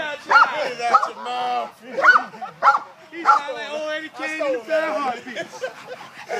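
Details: Kane, an Italian Mastiff during working drills dragging a man, gives a series of loud, harsh barks at a steady pace, overlapped by excited human voices.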